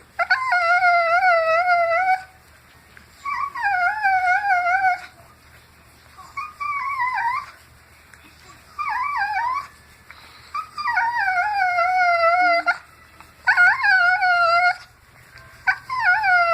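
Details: A dog making an odd noise while being scratched: long, wavering, tonal howl-like whines, rich in harmonics, bending up and down in pitch, in bursts of one to three seconds separated by short pauses.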